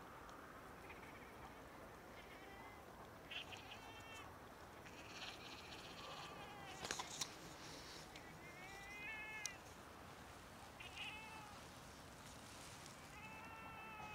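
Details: Domestic cats during rough mating, described as a pair in love: a series of short, harmonic, bleating meows, some rising and falling, repeating every second or two over steady background hiss, with a brief clatter in the middle.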